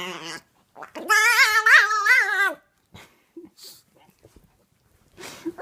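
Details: Small Chihuahua at play with a six-month-old Chiweenie puppy, giving odd, undog-like noises: one sustained, quavering whine-growl of about one and a half seconds with wobbling pitch, followed by quiet rustles and faint clicks.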